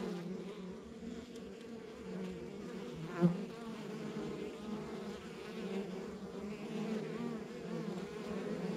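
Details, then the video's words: Honey bees at a rural backyard beehive, a steady low buzzing hum with wavering pitch layered in bands, continuous without pause, one brief louder click near the middle. "Relax to the Sounds of Our Backyard Buzzing Beehive"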